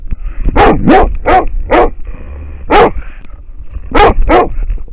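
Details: American Foxhound baying at a wild boar, caught on a trail camera: a fast run of four barks, a single bark after a pause, then two more in quick succession, low background rumble throughout.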